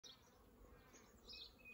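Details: Wild honey bees at a hive in an old elm tree at Kyneton on 1 January; a steady broadband hum of many bees with brief higher whining passes of individual bees flying close.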